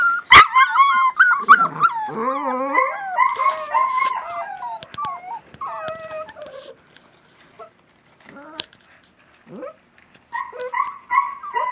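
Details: Litter of 37-day-old West Siberian Laika puppies outdoors in their pen for the first time, in fine weather; overlapping wavering howls and yelps sliding up and down, loud at first, then a quieter gap and renewed whining near the end.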